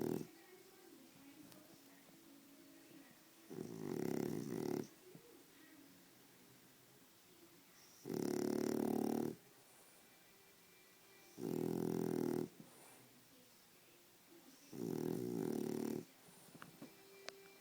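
A French Bulldog snores in loud, rasping, low-pitched bursts roughly every three to four seconds.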